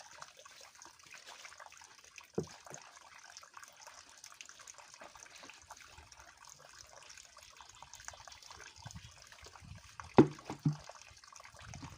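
Only trickling water and a few soft knocks are heard, with no animal voice.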